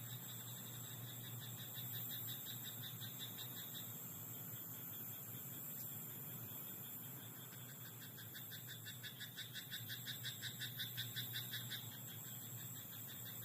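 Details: Night-time rice paddy frogs, croaking faint and scattered at first, then a clearer run of rapid pulsed calls near the end, with a steady low hum and a continuous high tone throughout.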